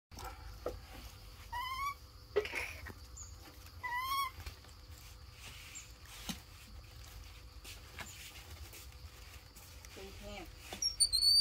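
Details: Baby monkeys Dorn and Dum in daily life give a few quiet, falling whistled calls two seconds apart, then short squeaks near the end over a low steady hum.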